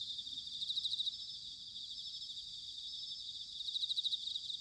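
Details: Bell cricket in autumn, Sanuki, Chiba Prefecture, Japan: quiet, high, pulsed chirping bursts at the start and end, with a steady faint trill between and low background rumble.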